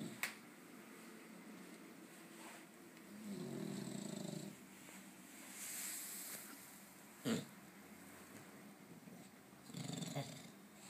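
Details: A sleeping dog snores loudly, giving low rough drawn-out breaths at irregular intervals, interrupted by a couple of brief sharp clicks or knocks in a quiet indoor setting.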